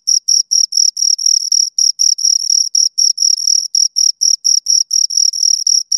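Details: Two crickets chirping close up, a clean high-pitched pulsed trill of short bursts, roughly four per second, sometimes overlapping into doubled pulses; no other sounds.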